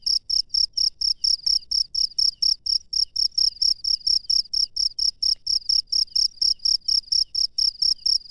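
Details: Cricket heard at night in natural surroundings, producing sharp high-pitched pulsed chirps in a steady beat near two per second, loud and regular, with only quiet low rumble behind.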